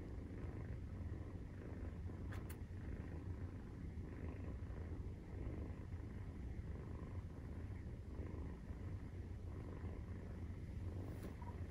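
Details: Maine Coon kitten, 43 days old, purring while nursing; a steady low rumbling purr with dense pulsed texture running throughout, a few faint clicks near the start and end.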